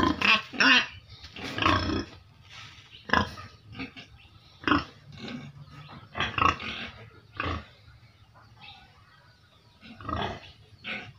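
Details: Several pigs kept in a cage utter scattered short grunts and a few squealing cries, irregular and separated by quieter pauses, with faint background clatter.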